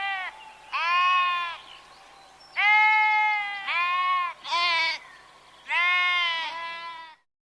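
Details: Five bleats from a sheep, each a quavering, nasal cry of about half a second to a second, separated by short gaps, with a quiet background.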